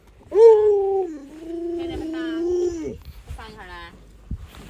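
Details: Luoluo, a pet Alaskan Malamute, holds one long, steady mid-pitched howl for nearly three seconds. It dips slightly, then levels off before ending. Shorter voiced sounds follow.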